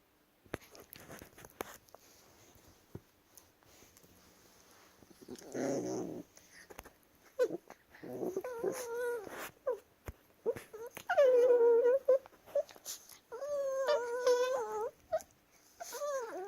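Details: Indoors, Chihuahuas wrestling together start with quiet scuffling, then a low rough growl, building into loud wobbling, wavering whine-grumbles and yodel-like harmonic cries in the final seconds.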